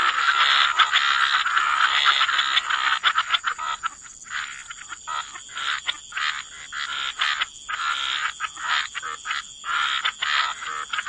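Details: Wetland frog chorus at the water's edge, a loud wall of croaking for the first seconds that breaks into separate rasping bursts, repeated about twice a second, over a constant high hum.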